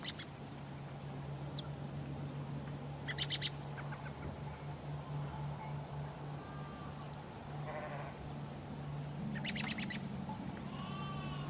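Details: Sheep bleating: a few wavering, harmonic-rich bleats spaced several seconds apart over a steady low hum, with scattered short bird chirps in the background.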